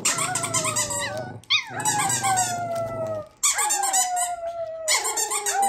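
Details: Jett and Foxy, a pair of dogs, howl together in overlapping, sustained wavering tones that sag slightly in pitch. Each howl lasts about one and a half seconds, broken by brief pauses, with a rough, noisy edge at each start.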